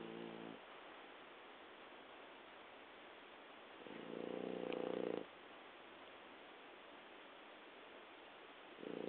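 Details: A sleeping adult French Bulldog snores loudly on each in-breath, a harsh, throaty rattle every four to five seconds with soft breathing between. The snoring was much louder when it was a puppy, and the owner wonders if it is snoring or just sleep breathing.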